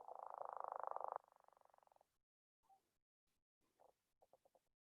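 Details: Northern leopard frog, a non-explosive breeder of Chicagoland often heard singly or in pairs, gives a low, strained, fairly quiet snoring rattle, then a few short, soft chuckling grunts.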